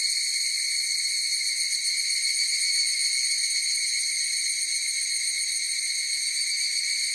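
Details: Higurashi cicadas singing together, giving an unbroken high metallic whine in stacked bands with a slight rapid flutter and an even level; nothing else is heard.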